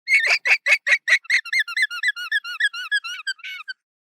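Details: An alpaca gives its alarm call, a fast run of high, squeaky notes like a squeeze toy. The herd's alpha usually makes this call when it spots danger in the distance, and the herd then huddles together.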